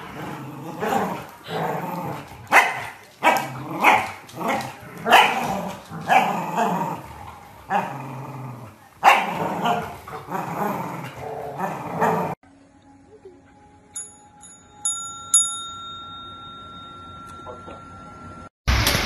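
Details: Corgi dogs barking and growling in a rapid burst of sharp, repeated barks through the first twelve seconds, followed by a quieter stretch with faint tonal beeps and clicks.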